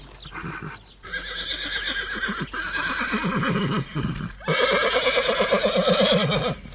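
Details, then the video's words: Horse neighing, from footage of a horse and foal eating and galloping: a sustained, strongly vibrating whinny with rapid pulsing wobble, continuing through several seconds and rising in loudness toward the end. "Caballo galopando relinchando y comiendo | Sonidos de caballos"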